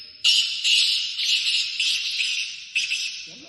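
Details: Bursts of bright, hissing, jingling noise with no clear animal call.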